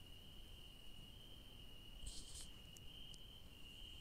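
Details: A cricket at night in a garden with yellow daisies sings a steady, high, ringing trill that carries on without a break.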